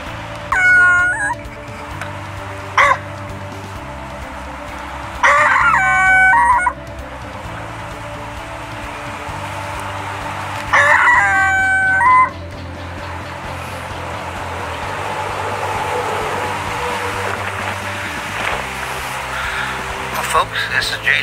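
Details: Coyote caught in a trapper's dirt hole set, approached closely: three loud, harsh bursts of harmonic yelping and howling, about five seconds apart, with a steady low hum and quieter broadband rustle between calls.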